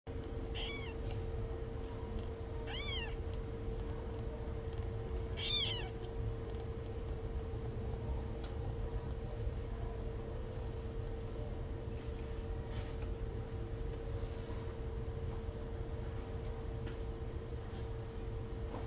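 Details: Orphaned kitten, thought to be 10 to 15 days old, found alone in a box in a flower bed with eyes barely open, freshly fed; three thin, high, wavering mews in the first six seconds, then quiet over a steady electrical hum.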